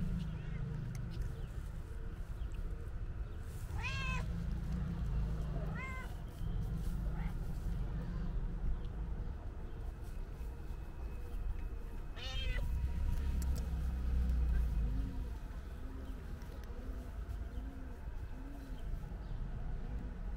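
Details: A calico cat meows loudly, seemingly wanting to tell its owner something; two bright wavering meows come close together, then a third after a long pause, with soft low repeated sounds and a constant low hum underneath.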